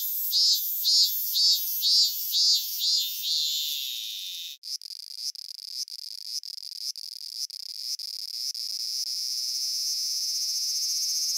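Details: In Japan, a cicada sings a high, buzzy song of pulsed phrases that settle into a steady, shrill drone.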